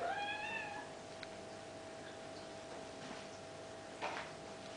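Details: Bengal kittens, eight and a half weeks old, at play; one short, slightly falling meow with rich overtones opens the recording, followed by a steady electrical hum, a faint tap and a soft rustle near the end.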